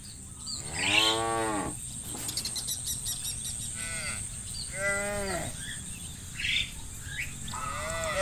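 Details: Cows herded through muddy rice fields to the livestock pen, calling: scattered short moos with bending harmonics, several animals at differing distances, over a persistent high-pitched drone and light rustling.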